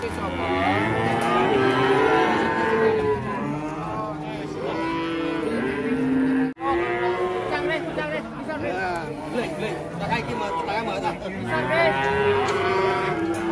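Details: Many cattle at an Indonesian farm mooing almost without pause, long harmonic calls overlapping, with a brief drop to silence midway before the chorus resumes.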